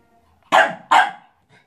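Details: A Staffordshire Bull Terrier puppy barks at its own reflection, giving two quick, sharp barks in close succession.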